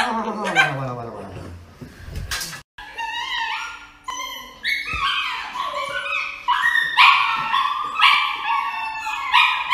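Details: A dog reacting while about to be given an injection: rapid, irregular, high whimpers and yips, each a short bent tone, tumbling over one another for several seconds, with a brief burst of noise and a lower voice near the start.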